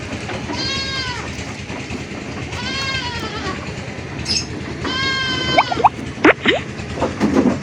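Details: Goat bleating three times at roughly two-second intervals, each call a short, nasal, slightly wavering cry, with clatter and knocking sounds in the background, louder toward the end.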